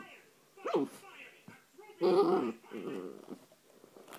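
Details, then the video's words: A 3-month-old female Basset Hound puppy, hyper and playing with her brush, gives short, high yelping barks and growly whines in a small room. "Basset Hound Puppy Barking and Playing"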